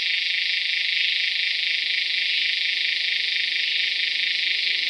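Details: Steady, intense buzzing drone of a Tacua speciosa cicada, recorded calling in Peninsular Malaysia, 11 May 2014; a high, rapidly pulsing whine holds unbroken at even loudness for the whole stretch.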